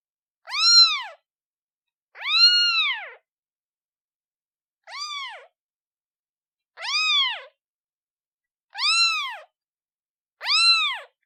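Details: Newborn kitten calling its mother, six insistent meows of varying length, one noticeably shorter and softer, each pitched up then down, spaced irregularly around two seconds apart.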